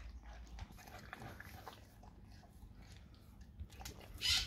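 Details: Dog eating raw cow tongue, with wet, irregular chewing and biting clicks spread over a few seconds and a brief louder sharp burst near the end.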